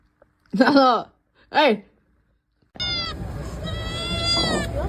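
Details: Domestic cat giving two short, loud meows about a second apart, each arching up then sliding down, followed by a steady, high, thin whining tone over a rushing background noise.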